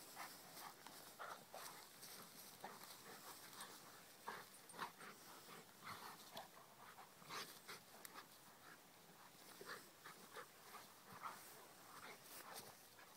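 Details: Playful Rhodesian Ridgeback Kheelo romping with his companion Triton. Low-level hissy breaths and clustered huffs repeat in uneven runs, with occasional short nasal whines between the bursts.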